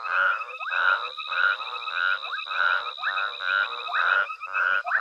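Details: Night chorus of frogs at Hwange Safari Lodge beside foraging elephants: loud buzzy pulsed croaks in a steady rhythm of about two per second, short upward-sliding notes between them, and a continuous high whine.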